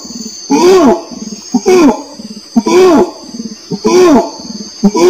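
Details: Orangutan calling: loud, arched moaning pulses, each rising then falling, come roughly once a second, with softer low grumbling sounds between them over a steady high-pitched hiss.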